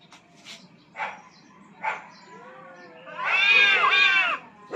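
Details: Two aggressive cats fighting for dominance on a rooftop; short harsh bursts and a low moaning tone build into a loud, sustained, wavering yowl, followed by another sharp burst at the end.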